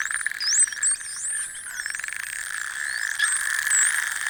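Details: Large group of Atlantic spotted dolphins captured by underwater hydrophone during a whale-watching boat trip: many overlapping high, sliding whistles that rise, fall and loop, over a steady low droning hum.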